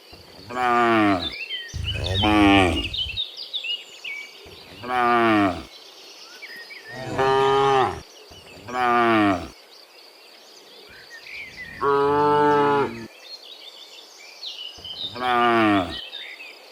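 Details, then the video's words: Dozens of cows in the morning, returning from the field to the pen, give long harmonic moos, some drawn out and rising, about seven in sixteen seconds, separated by short pauses; a steady insect hum and faint bird chirps underneath. "Sound Dozens of Moo Cows in the Morning, Returning from the Field to the Pen, the Sound of Cows"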